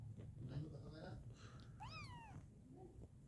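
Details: Kittens indoors; one short high meow rising then falling, over low murmuring speech and room noise.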